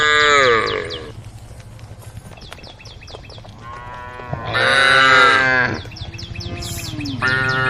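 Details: A group of tame female cows calls out to an angry herd. Three separate moos rise and fall, each about a second long, with a fast, high, repeated chirping in the background between calls.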